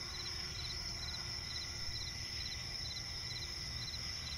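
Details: Crickets chirping at night in a swampy forest: rapid pulsed chirps near four kilohertz repeating several times a second over a steady high continuous trill, with a low background rumble underneath.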